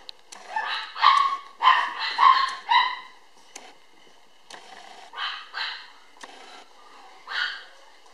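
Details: A black female toy poodle puppy, born July 22, gives quick, high-pitched yips in short clusters, some drawn out into whiny notes.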